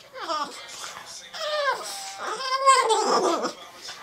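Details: A Boston Terrier "sings" excitedly along to a song in a series of drawn-out, wavering howls, each sliding up and then dropping away, with music, human voices and laughter mixed in.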